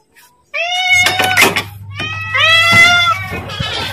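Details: Pet cat begging for food, giving two loud, strained meows close together, the second longer and wavering, over a steady low hum and some handling noise.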